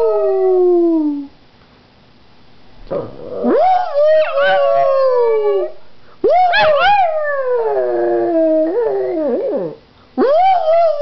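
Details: A pug howls repeatedly: a falling wail, then quavering rising cries with yelping breaks, ending on a short upward howl after a pause.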